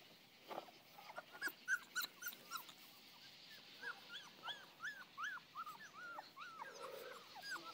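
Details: Playing Saint Bernard puppies whine in a steady series of short bent squeals, several each second, over a constant hiss and soft background rustle.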